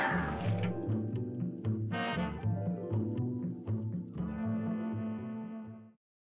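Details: Low brass-like musical tones play throughout, with no animal sound present. The notes are deep and sustained, shifting in pitch before ending abruptly.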